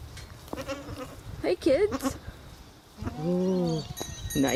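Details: A goat, possibly among young kids, gives a drawn-out, wavering nasal bleat that rises and falls, with shorter quavering calls before it, as a person talks softly over it.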